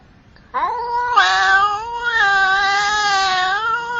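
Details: Domestic cat giving one long, loud, drawn-out meow that starts with a rising whine, then holds a wavering, strained, nasal tone for about three seconds before bending slightly downward at the end.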